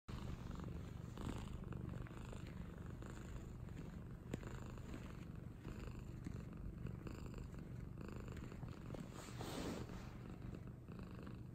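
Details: A cat purrs steadily throughout, a low, even, rumbling pulse with no breaks, soft and close, over light background hiss with a brief rustle near the end.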